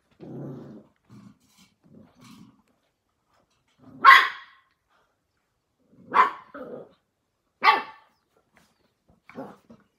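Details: Australian Cattle Dog (blue heeler) puppies, born May 5, 2020, playing together in a pen; soft low rumbling growls over the first two seconds, then three sharp high yapping barks near four, six and eight seconds, with quiet gaps between.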